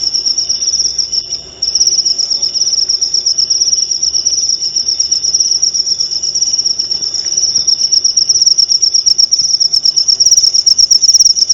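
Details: Cricket chirping prepared as clear training audio for white-rumped shamas; a brief dip near the start, then a long, unbroken, piercing pulsed trill at a single high pitch.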